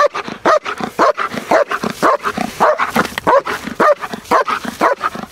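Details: Trained IPO female German Shepherd, large black and red, barking during protection training; rapid, forceful barks repeated about twice a second in a steady, insistent series.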